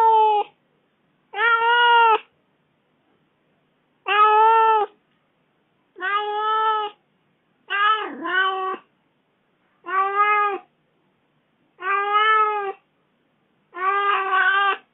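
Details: Kitten complaining loudly after its owner was gone four days: a string of eight or nine meows every couple of seconds, some steady, others broken and wavering in pitch.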